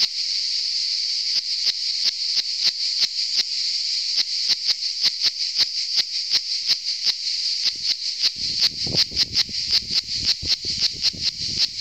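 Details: A cicada on Saint Eutrope hill in Orange, Vaucluse, France, on 15 July 2018, sings a loud, steady, high-pitched buzz broken by rapid clicking pulses.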